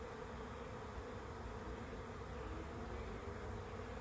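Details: A big swarm of bees arriving at a swarm trap: a dense, steady, low droning hum with a faint band of higher buzzing, unbroken and even throughout.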